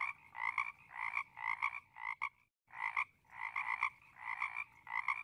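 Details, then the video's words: A frog chorus of rapid, rasping croaks in quick bursts, roughly two per second, with a short pause after about two seconds before the calling resumes just as before. "개구리소리 ASMR"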